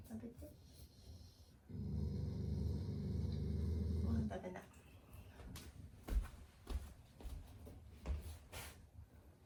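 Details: Shiba Inu kept indoors as a loving family pet, growling as an expression of affection rather than anger: a steady, low, rumbling growl lasting about two and a half seconds, followed by scattered knocks and clicks in a small room.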